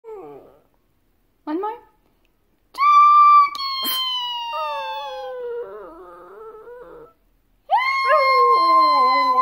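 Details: Male Shih Tzu dog howling during a singing lesson: two short whimpering yelps, then long, drawn-out howls that slide slowly downward in pitch with a wavering tail, and after a pause another sustained, gently falling howl.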